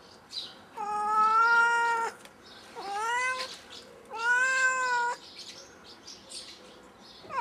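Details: Domestic cat stranded in a tree, crying with three long meows, the middle one rising sharply before levelling, followed by a quiet pause.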